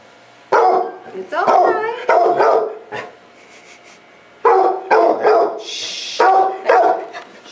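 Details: Labrador Retriever up for adoption, unhappy while being filmed; loud harmonic bark-like vocal bursts come in two runs of about three each, with short gaps between them and a quiet pause in the middle.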